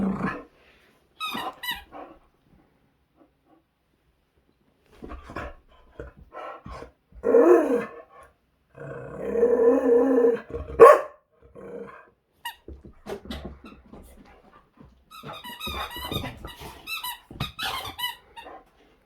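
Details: Zeta, a Boxer dog filmed in 2021, tearing into a squeaky toy during a burst of play: drawn-out, rumbling growls come in separate spells of a second or two, broken by quiet gaps, with sharp toy squeaks near the close.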